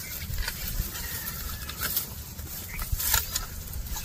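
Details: Cows and bulls walking and eating grass: rapid crisp tearing and crunching bursts, irregular and broadband, over a steady low rumble of outdoor background noise.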